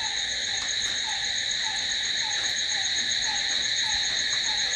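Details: Night cricket chorus, a dense steady shrill buzz without pauses, while a fainter, lower falling chirp recurs about every half second in the background.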